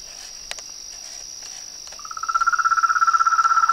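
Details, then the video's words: Frogs and toads calling at nightfall by a reservoir in front of a veranda. A steady high insect whine and scattered clicks come first, then a frog starts a fast, regular pulsed trill that grows louder over the last two seconds. "A SINFONIA DOS SAPOS, RÃS E PERERECAS"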